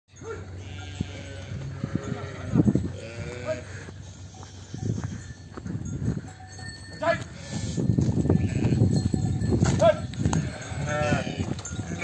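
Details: On a sheep farm, a flock bleats repeatedly in wavering, quavering cries as lambs and ewes call to each other after being separated.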